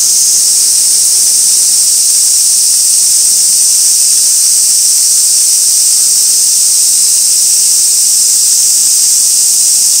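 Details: Continuous cicada chorus from Gaikotsu-yama on 2 August 2024, taken with a fixed camera at an old sawtooth oak where white-spotted rose beetles gather; an even, shrill, hiss-like buzz holds steady throughout with no breaks.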